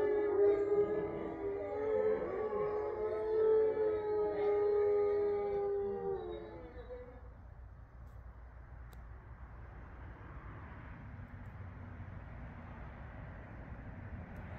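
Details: Full-moon pack howl from eight resident grey wolves in Ipswich, Massachusetts, recorded November 27, 2023: multiple long, overlapping tonal howls hold and waver for about six seconds, then fade away, leaving quiet background hiss for the remainder.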